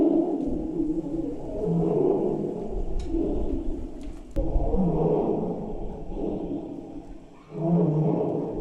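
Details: A tiger gives deep, rumbling roars in repeated heavy bursts, each lasting a second or two; the roar was played back to wild boars in an experiment, and they froze and some fled.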